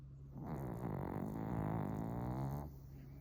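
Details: Suama, a young male Pomeranian asleep on a futon at home, twitching in his sleep, gives one low, rattling, buzzy snore about two seconds long, steady and gravelly like an old man's, in a quiet room.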